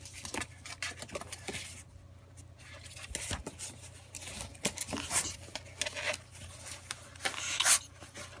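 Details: Pet ferret named Ann, sneezing repeatedly indoors, filmed without background music; short sharp broadband bursts of sneezing, the loudest near the end, over a quiet room with faint rustling and a low steady hum.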